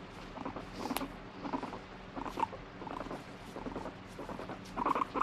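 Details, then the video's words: Cross pet guinea pig being stroked produces soft repeated throbbing pulses in short groups, a firmer burst closing the passage. "撫でろ！触るな！撫でろ！あっち行け！なモルモット Fighting Guinea Pig"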